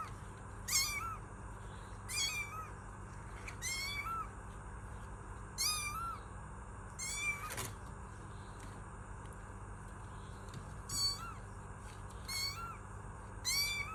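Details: Kitten meows repeat about every one and a half to two seconds. Each is a short, high, wavering mew that bends downward, heard against a constant low background hum.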